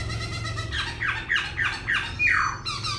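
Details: Caged laughingthrush singing while dancing, switching voices continuously: a run of five loud, rich downslurred notes, each about a third of a second apart, then a longer falling whistle and a higher note. A low hum sits underneath.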